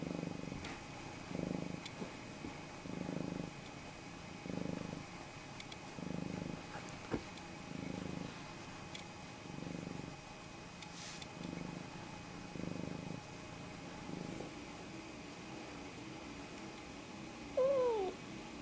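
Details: Snowshoe cat, pet Nevada or Noodles, known for greeting and asking for a fuss or food, purring in low rhythmic pulses roughly every second and a half, ending with a brief rising meow.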